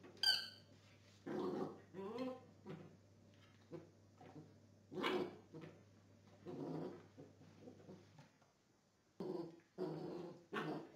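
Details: During gun training, a Belgian Tervuren gives high harmonic whines, one wavering and rising, mixed with rough, breathy growling bursts and short pauses, over a low steady hum that drops away near the end.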